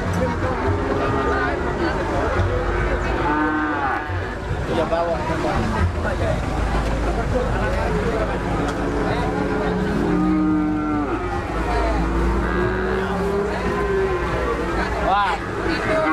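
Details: Several cattle mooing among busy human voices, with short wavering moos repeated through the recording against steady crowd noise.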